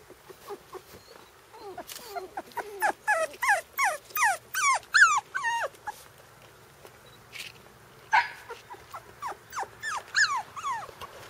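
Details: Tama's Shiba Inu puppies, aged four weeks, on a brief first trip outdoors, yelp and whine rapidly, about three short rising-falling cries per second in two bursts separated by a short pause.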